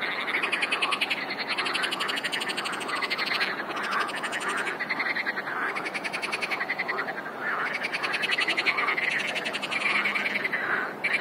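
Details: Frog chorus: many frogs calling together in a dense, continuous wall of rapid pulsed, rattling croaks, with overlapping callers swelling and fading in waves throughout.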